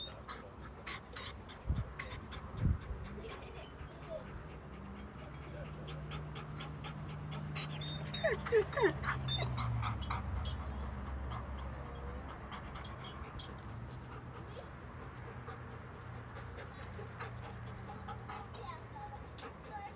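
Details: Two dogs: the female Jay, impatient, trying to get away from the male Tegu, who wants to play. A low drawn-out growling tone runs through the middle, with brief thin whines and scattered rustling and scuffling.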